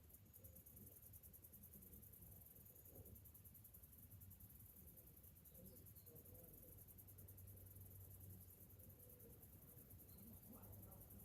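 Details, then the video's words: On a summer morning, cicadas keep up an unbroken, high, rapidly pulsing hiss. Low rumbling noise and a few faint mid-pitched sounds sit underneath. "Morning summer cicadas sounds"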